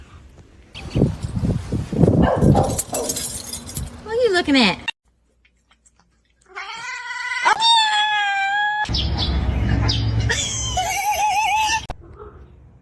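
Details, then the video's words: Domestic cat caterwauling in drawn-out, wavering harmonic cries that bend up and down, broken by bursts of noisy scuffling and human speech. "Cat Fight"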